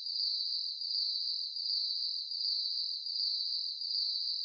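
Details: At night, a cricket trills steadily at high pitch, pulsing in regular bursts a little under a second apart.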